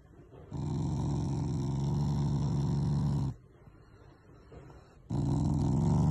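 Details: Affectionate, not angry, growling from Taiga, a family Shiba Inu: one steady low rumbling growl of nearly three seconds, a short silence, then another growl starting.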